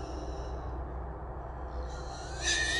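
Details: Wild hogs held in a small trap in the early-morning dark, three caught together: a high squeal tails off at the start, then a fresh piercing squeal rises near the end over a constant low hum.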